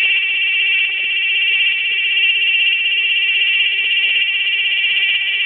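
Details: Cicada calling on August 26, 2007 at 16:15: a loud, continuous, high metallic buzz with a fine rapid pulse, holding steady in pitch and volume throughout, with no other sounds.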